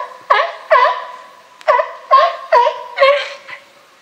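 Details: Captive California sea lions in a group at Higashiyama Zoo and Botanical Garden, 12 September 2023, whose lively boss is Felix; six loud, harmonic, honking barks in quick bursts with a short pause after the second, over a quiet background.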